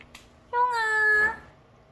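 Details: Domestic cat drawn to a window curtain indoors, giving one clear meow of about three-quarters of a second, level then gently falling, with soft room noise around it.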